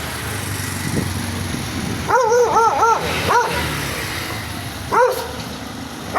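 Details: An angry dog barks in a quick burst of three or four harsh, arched barks, pauses, gives one more, then a final bark; low rumbling background noise throughout.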